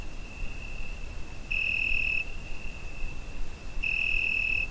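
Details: On a summer night a cricket, recorded on a Zoom H5, holds a constant high piercing note, swelling into two stronger, brighter chirps about two seconds apart; quiet low background noise underneath.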